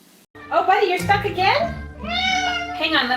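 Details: Domestic cat, apparently stuck in a small door, meowing in a string of loud, bright, harmonic meows that rise and dip, with a person talking over the calls.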